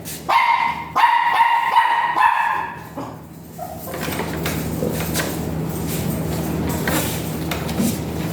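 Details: Dog at a veterinary clinic in Mapandan during a breeding service, dam and sire both still virgin; loud harmonic barks and yips crowd the first three seconds, then give way to a steady electrical hum and room noise.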